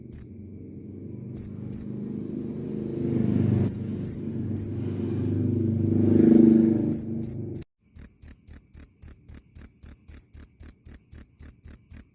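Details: Cricket chirps, sparse and irregular at first under a swelling low rumble like a passing vehicle, then, once the rumble stops, loud, shrill chirps resume in a steady run of about four per second.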